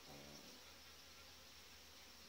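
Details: A well-developed honey bee colony inside its hive in July, with a breeder queen; a continuous rushing buzz of many bees, with a low droning tone underneath at the start.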